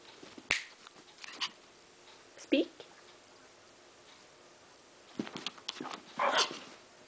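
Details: Pet dog, one of two named Sugar and Boo, urged indoors to 'speak' for a treat while waiting for snow: a single short, sharp bark midway, surrounded by a woman's coaxing voice, clicks and snapping sounds.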